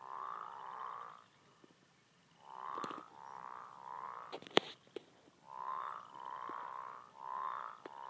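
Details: Deep, buzzy bullfrog croaks come in short runs of two and three notes separated by silences, with several sharp clicks and a loud snap in the middle.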